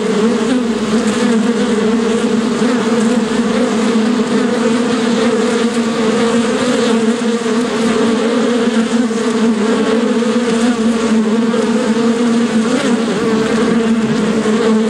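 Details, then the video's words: Bee buzzing steadily, a dense continuous drone with a low hum and a stronger band just above it, many overlapping wingbeats with no pause throughout. "What does bee sound like? (Bee Buzzing)"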